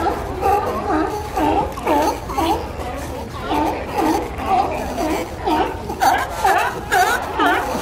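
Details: A colony of seals living at Pier 39 in San Francisco gives a crowded chorus of hoarse, honking barks that overlap one another nonstop.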